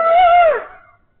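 A coyote gives a single clear, mid-pitched howl that holds steady, then slides down and fades.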